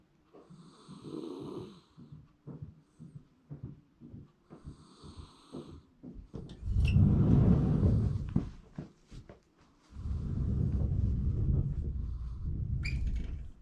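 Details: Sleeping Shiba Inu, a round-bodied 丸柴 type living in a backyard, filmed in January 2024, snoring: soft rhythmic nasal snuffles early on, then longer, deep rumbling low-pitched snore breaths, with brief sharp clicks of ambient sound.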